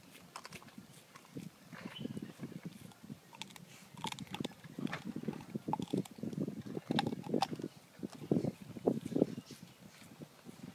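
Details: Bone chewing by two calm dogs eating together, not food aggressive; dense, steady crunching and grinding in low tones, growing busier and louder toward the end, with scattered sharper snaps.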